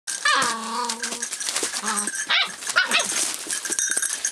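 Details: Rough collie puppy, 48 days old, filmed on 29 February 2012, giving drawn-out whining cries with a steady tone, followed by a shorter whine, over clicking and clattering sounds indoors.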